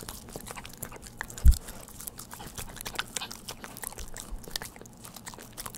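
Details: Pet dog licking and chewing a Churu treat at home: fast soft clicks and wet smacks, one dull bump early on, then continued uneven mouth noises in a quiet room.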